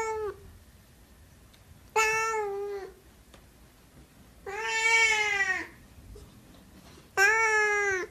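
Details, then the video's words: Repeated meows from a Siamese cat: a clipped tail of one call, then three drawn-out, strongly harmonic wails roughly every two to three seconds, the middle one longest and loudest. "Siamese Cat Meowing"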